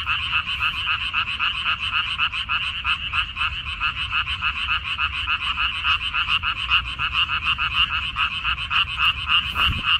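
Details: Frogs croaking in a water dropwort field on 14 May 2021: a dense, continuous chorus of nasal two-toned croaks, about three or four per second, overlapping unevenly, with a brief dull thump near the end.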